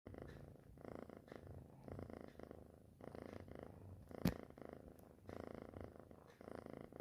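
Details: Kitten purring indoors, a steady low rumbling purr in rhythmic pulses about once a second, with a brief click near the four-second mark.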